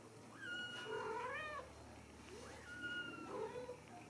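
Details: Ragdoll kittens raised in a home cattery in central Kansas, uncaged; thin high meows rising then falling, two cries about two seconds apart over steady low background hum.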